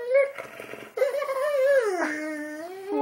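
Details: Indoor "talking" from JJ the Boxer: a long, continuous yodeling whine that wobbles up and down in pitch, dips lower near the end and carries on, over faint room sound and the owner's voice nearby.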